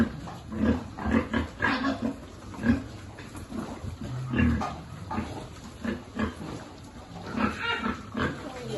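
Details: Piglet at feeding time on a pig farm, giving rough, low grunts in quick clusters, some with a nasal tone, separated by brief pauses; faint farm noise underneath.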